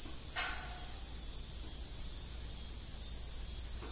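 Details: A continuous high, thin trill from evening crickets near an old broken farm windmill, with one short creaking knock at the start and a quiet low background.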